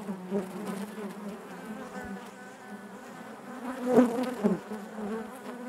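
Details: Steady hum of honey bees inside the hive, low and harmonic-rich, with one bee's sharp, louder buzz rising near the end before the drone settles.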